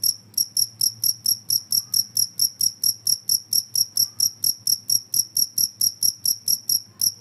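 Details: Cricket sound used to scare off rats, a noisy chirping: evenly spaced shrill pulses, roughly three each second, continuing without pause over a soft low hum.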